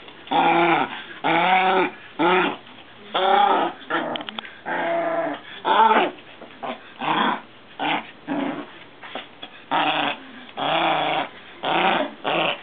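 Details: Maltese sisters from a parent-and-pup family growling at play with a frog toy, one later being played with by the owner. Loud, voiced growl-grumbles repeat in steady bursts of about half a second, separated by short pauses.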